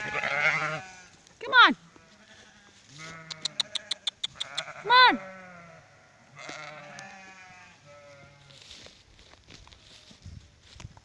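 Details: Flock of sheep brought in for the night, 26 July 2017: scattered quavering bleats among loud sweeping human-like cries and a quick run of clicking taps in the middle.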